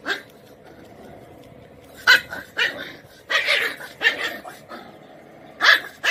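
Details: A Kombai puppy, an Indian breed, barks angrily in short bursts of sharp, high barks, spaced irregularly.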